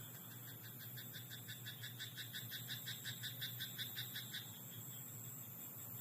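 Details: Night chorus from a rice paddy, where a frog gives a rapid, even series of rasping croaks, about three a second, for roughly four seconds before trailing off, with a steady high insect drone behind it.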